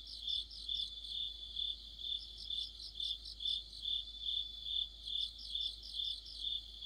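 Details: Crickets and companion insects in the heart of autumn beside a streetlight, a regular high chirping pulse with overlapping faster, higher trill bursts from another caller, steady and dense.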